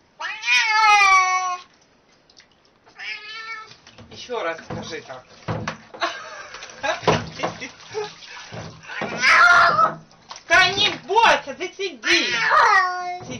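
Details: Domestic cat from a compilation of talking cats, giving long drawn-out harmonic meows that rise and fall, several in a row with short gaps, mixed with human speech and some background noise.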